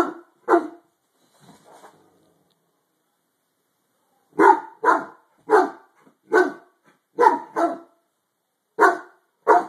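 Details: Deep repeated barks from a harlequin Great Dane reacting to something under the bed, two barks and a short grumble, then a pause and a steady run of barks roughly every half second.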